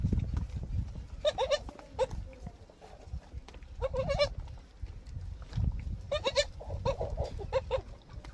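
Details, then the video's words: Young goat kid suckling milk in a garden on a farm, giving several short, wavering, nasal bleats in bursts of two or three, separated by pauses, over a steady low rumbling background. "बगीचे में बकरी का बच्चा दूध पीते हुए"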